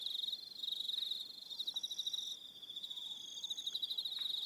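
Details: High, rapid pulsed chirps from crickets on an evening on Aroha Island, New Zealand, nearly continuous, rising and falling slightly in loudness, with a few faint thin notes beneath.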